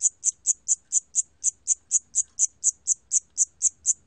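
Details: High, clicking chirps of a Siamese cricket, 2020 National Institute of Biological Resources recording, repeated evenly about four times a second, seventeen in a row with no other sounds.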